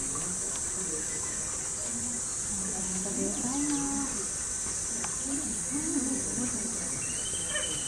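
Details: Cicadas at the gorilla enclosure of Ueno Zoo, Japan, in July. A continuous, piercing high-pitched whine runs unbroken the whole time while people talk in the background, and a short rising whistle comes near the end.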